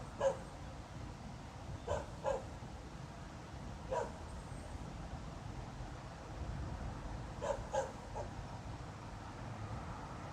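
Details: A dog barks again without apparent reason at night, 02:28 on 26 November 2016. About six faint, distant, sharp barks come singly or in pairs at irregular gaps over a steady low rumble.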